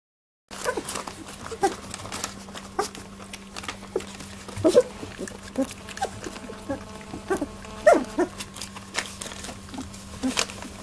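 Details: Eighteen-day-old Labradoodle puppies in their first milk fight: short squeaks and whines that come every few seconds with no steady beat, over soft shuffling and clicking and a steady low hum.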